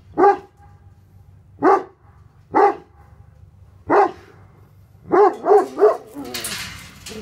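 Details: Tornjak guardian dogs Hattori Hanzo and Leksi barking to drive off an intruder: four single deep barks, then a quick triple burst, followed by rustling noise at the close.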